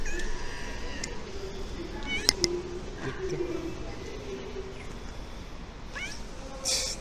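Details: Domestic cat from a funny cat compilation giving short, rising-then-falling meows, faint against a steady background hum, with a man speaking Turkish nearby.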